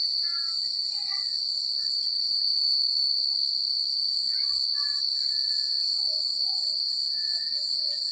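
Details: Nighttime crickets in a quiet rural place, a continuous piercing trill with pulsing upper bands, scattered faint chirps and whistled notes from other creatures, and a soft background hum.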